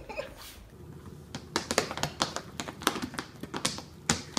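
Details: Sharp taps and clicks repeat irregularly in a small indoor room over a low background hum.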